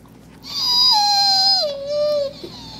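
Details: Kingsley, a dog in HART All Breed Dog rescue's care, gives a long musical whine, a bright tonal note wavering and drifting lower over nearly two seconds, followed by a softer, shorter tail.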